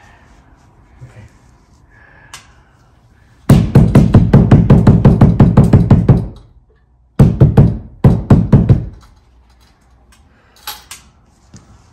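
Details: Bursts of rapid, punchy drum beats broken by short pauses, with faint background murmur and no animal voice heard.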